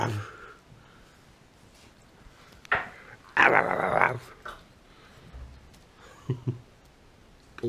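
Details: Efe, a 60-day-old Saint Bernard puppy, inside a room: one rough, grating growl-bark lasting under a second stands out midway, with a brief sharp sound just before and soft thumps and quiet room noise around it.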